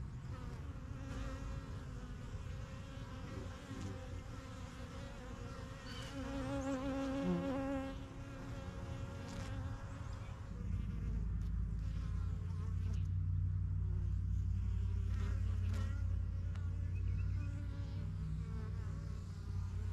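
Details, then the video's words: Backyard honey bees of a yellow hive, established spring 2023, getting used to their new surroundings; passing bees give a wavering droning buzz in the first half, after which a deep steady rumble dominates with faint humming. "BUSY BEE HIVE AMBIENCE"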